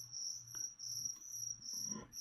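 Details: Near-continuous high trilling chirps from a feeder cricket during leopard gecko feeding, with small rustles and a brief low murmur near the end.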